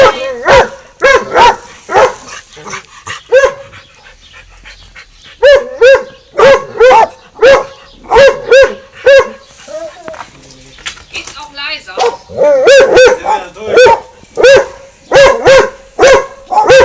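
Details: Two dogs, Winston and Popeye, in a long barking exchange at the garden fence; bursts of rapid ringing barks, a brief quieter pause with softer sounds near the middle, then another fast volley.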